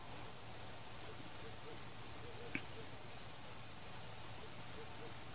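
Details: During a nighttime fireworks display, crickets sustain a piercing pulsed trill. A single sharp firework crack interrupts midway against a low rumble. No people, pets, music or cars.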